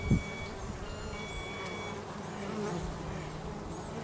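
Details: Busy bees at home give a low even hum, with one loud close pass right at the start and faint thin high tones overhead.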